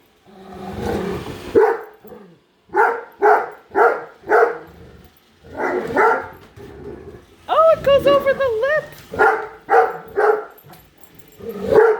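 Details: Padme, a female Great Dane, barks at a new Roomba she hates, following it around indoors; loud deep barks in quick, uneven bursts, with a brief warbling electronic beep from the robot vacuum midway and a person speaking.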